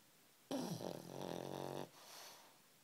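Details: A sleeping pet pug, Ridley, snoring in his comfy blanket: one rough, buzzy, rattling snore lasting over a second, broad and breathy with a fluttering texture, then quiet indoor background.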